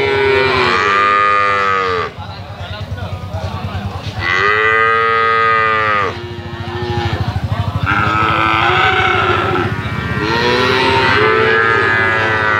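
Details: Young calf's melodious moo, described as its 'hehan' voice: four drawn-out bawls of about two seconds each, each arching up then falling, separated by brief rougher pauses.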